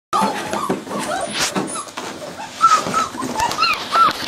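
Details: Cardigan Welsh Corgi puppies at week seven, playing together indoors; short high whimpers and yips, several clipped rising-and-falling whines near the end, over scuffling play noise.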